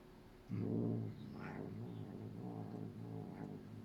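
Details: Female Norwegian Forest Cat grooming a Bengal cat for the first time, the two not usually friendly, making low grumbling, muttering sounds: a short louder growly moan then a steady low rumbling murmur.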